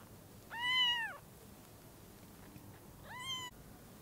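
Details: Kittens with freshly opened eyes meet the mother cat for the first time. Two thin, arching mews, the first longer and clearer and the second shorter and softer, with low background hiss between them.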